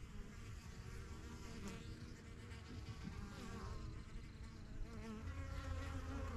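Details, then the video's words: Honey bees flying in and out of a strong yellow backyard hive, a first-year hive started in spring 2023; a dense, steady droning hum with many overlapping wingbeat buzzes, some rising and falling as bees pass close. "BUSY BEE HIVE AMBIENCE"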